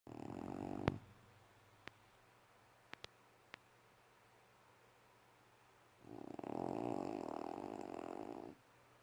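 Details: Puppy snoring while asleep: one long, rasping snore of about two and a half seconds near the end, with a brief snore at the start and a few sharp clicks in between in an otherwise quiet room.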